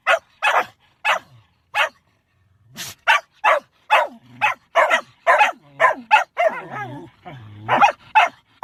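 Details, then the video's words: A dog that wants to howl but has to sneeze gives clipped yappy bursts, pauses, then a breathy sneeze-like puff before faster barks and a wavering whiny stretch near the end. "When you want to howl, but you have to sneeze..."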